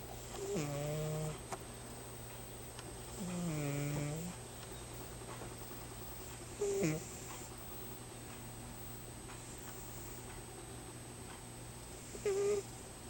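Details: Pippina, a pet cat, snores while asleep indoors: low droning breaths with a faint whistling overtone, arriving in bursts roughly every three seconds, over a steady background hum.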